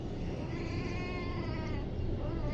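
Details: A street-rescued kitten raised as a pet utters one drawn-out, harmonically rich meow lasting most of two seconds, partly buried under loud, steady broadband noise.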